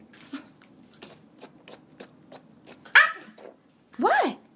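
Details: A 9-week-old Native American Indian Dog puppy, called a wolf dog, lets out two loud, wavering yells that rise and fall, scolding its owner to be quiet after a swishing noise.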